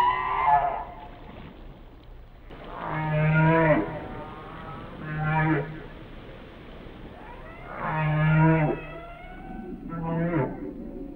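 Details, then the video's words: Whale song of deep, moo-like moans with a steady low tone under upper harmonics, five units spread across the stretch, some bending upward at the end, over a constant murmuring background. "Song of the Whales"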